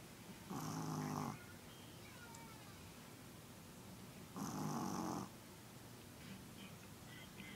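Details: Pet dog snoring: two long, raspy, rumbling snores roughly four seconds apart, each lasting under a second, with quiet breathing and stillness between them.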